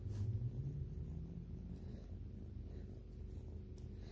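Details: White kitten grooming its owner, giving a low, steady rumbling purr with a fast, even pulse throughout, close to the microphone indoors.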